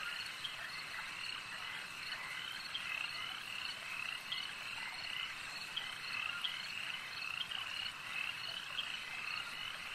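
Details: Many frogs calling together at a lake, a steady shimmering chorus of trilled croaks with brief sharp chirps standing out every second or so.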